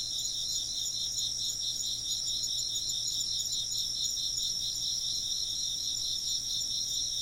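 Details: Chorus of insects in an ambient soundscape: dense, high-pitched chirping in several stacked bands, pulsing rapidly and steadily with no pauses, over a faint low hum.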